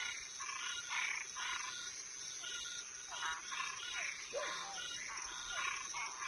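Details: Night chorus of toads and tree frogs, softer and more distant: rasping pulses overlapping irregularly, a few brief downward-sliding notes, all over a constant high-pitched buzzing background.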